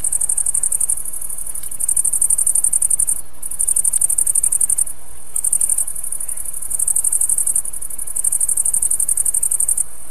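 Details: Bush-crickets, the tailed and the green bush-cricket, sing a high, dry, buzzing song in bursts of one to two seconds.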